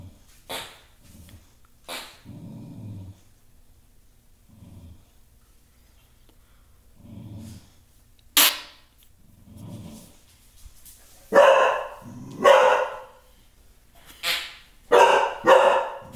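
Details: Beefy the bulldog reacting to his most hated sound, indoors: several low, rumbling growls in short bursts, then a run of loud, sharp barks close together near the end.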